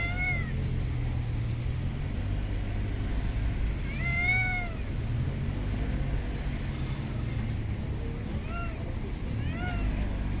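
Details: Street cat, one of the strays living in parks and urban streets, giving short, bent meows about every four seconds, with two quick mews near the end, above constant low city traffic hum.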